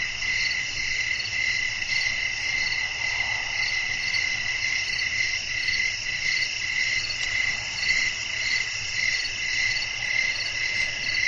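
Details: Crickets chirping at night amid a natural nighttime atmosphere with blowing wind, a dense steady chorus of high pulsed trills layered in several bands, pulsing roughly twice per second without pause.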